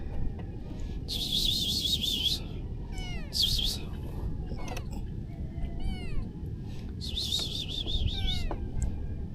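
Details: Hungry stray kitten fed fresh-caught fish gives a series of short, arched, high meows spread across the clip, while bursts of shrill, warbling high buzzing come and go over steady low background rumble.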